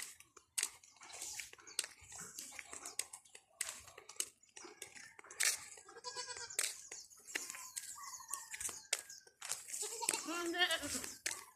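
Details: Domestic goats kept as a growing herd with kids, out among tall grass; wavering, quavering bleats rise midway, then a longer, louder tremulous bleat near the end, with crunching and rustling steps throughout.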